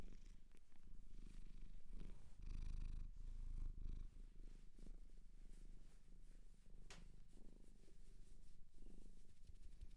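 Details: Shelter cat adopted in Japan, recorded close up indoors for ASMR, purring steadily as a low continuous rumble with rhythmic breathing pulses; small rustling and handling noises now and then, no voices.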